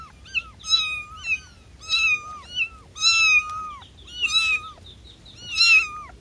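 A kitten gives high, thin mews in quick succession, calling for its mother.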